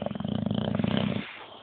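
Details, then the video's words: Boxer dog asleep and dreaming, a low rattling snore pulsing rapidly for about a second before fading to quiet breath. "Boxer Dog Snoring"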